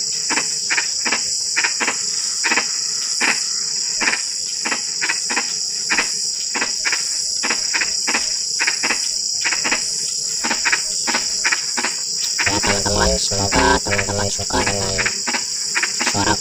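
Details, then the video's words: Frogs call at night in drizzling rain with rapid, irregular short croaks, then a burst of lower, more tonal rattling notes near the end. A steady high insect drone persists throughout. "SUARA KODOK HUJAN GERIMIS (drizzling rain frog sound)"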